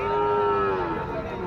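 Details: Heifer calf offered for sale at Pochampalli cattle market in India lows in one sustained, steady moo that sags slightly in pitch toward its end, with faint crowd murmur behind.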